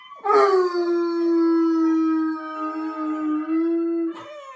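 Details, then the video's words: A bloodhound "singing" gives a long, steady, mournful howl that holds one pitch for several seconds. "Lou the bloodhound sings"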